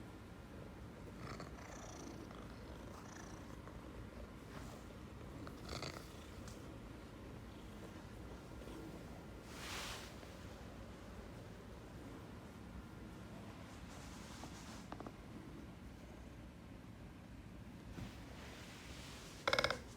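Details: Affectionate Ragdoll cat rubbing up against its owner, purring in a continuous low buzzing rumble for the whole stretch, quiet and even, with occasional soft rustles and a short sharp click at the very end.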